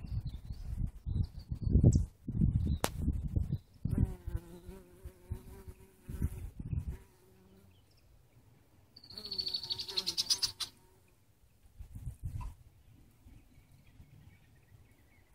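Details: Native and honey bees digging in an artichoke flower; intermittent low humming buzz in short stretches, with brief thuds, low rumbles and a faint high hiss in between.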